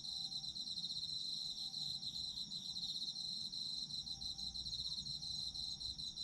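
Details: Chorus of autumn insects, a steady high-pitched trilling band pulsing rapidly without a break throughout, with layered shrill tones above and a faint low hum beneath.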